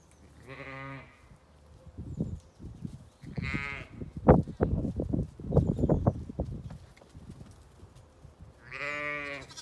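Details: Lambs let out to play outdoors on a sunny day on a farm in County Kilkenny, Ireland: three rich, wavering bleats at the start, middle and end, with bursts of thudding hoof and movement sounds in between.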